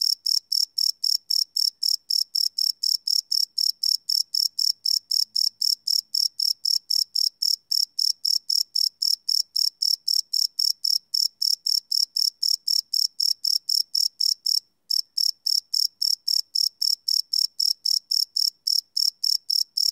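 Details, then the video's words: Night chorus of crickets captured live on a Sony PCM D100 recorder, with no loops: a continuous train of bright, high-pitched chirps at an even rapid pace, broken only by one short pause midway. "Cricket Chirp Sound - Cricket Sounds at Night"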